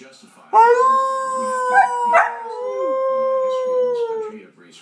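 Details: Newly adopted pet dog howling along as its owner howls to set it off: a long, steady, tonal howl lasting about four seconds, joined midway by a second rough howling voice, then slowly falling away.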